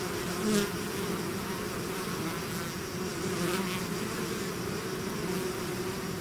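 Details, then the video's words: Buzzing swarm emerging from a hive, a constant low insect drone with one loud close pass near the start and fainter passing bees later. "bees therapy swarm natural buzzing sound"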